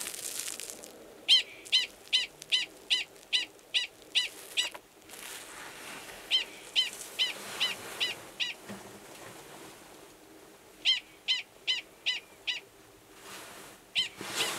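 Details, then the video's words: Male Gunnison's prairie dog giving a long mating call near an estrous female's burrow, Valles Caldera National Preserve, New Mexico, March 2017; bursts of sharp, evenly spaced barks separated by short pauses. "Prairie Dog Mating Call"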